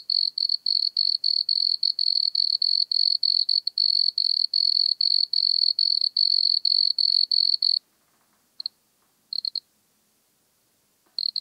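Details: Wood cricket (Nemobius sylvestris), Altenberg, Austria, 9 August 2022, giving rapid pulsed bursts of high churring, about three per second for eight seconds, then stopping with a few isolated short bursts afterwards in silence.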